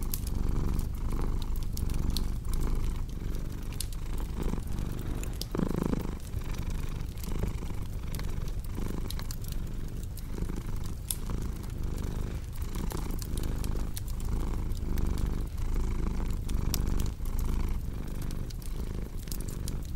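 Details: Domestic cat purring steadily, a low continuous rumble that swells and eases with each breath, mixed with the sharp pops and snaps of a crackling fireplace throughout.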